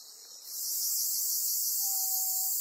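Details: A black cicada caught by a golden-web spider on Amami Oshima, Japan. After half a second of softer background chorus, a loud, harsh, high-pitched buzz bursts in and holds steady. A thin, faint whistled tone appears near the end.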